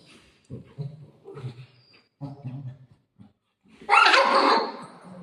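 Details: Shih Tzu dog playing indoors with its owner, growling during play: several short low rumbling growls in bursts over the first three seconds, then a sudden loud, harsh snarling bark that fades.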